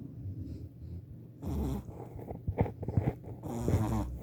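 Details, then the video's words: A 4-month-old Shih Tzu puppy snores in low, rattling breaths while sleeping, with short snorts between them. "Snoring Shih Tzu, so cute 😍🐶"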